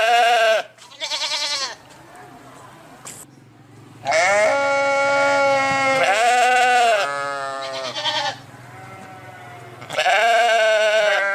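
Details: Several loud, quavering sheep bleats, some overlapping, with a steady low hum running underneath and brief gaps between calls.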